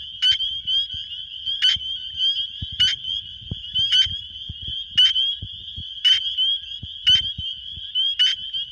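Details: Male spring peepers calling to attract females in Wisconsin spring, phone recording: loud, short, rising peeps about every second over a shrill background chorus, with low thumping handling noise beneath.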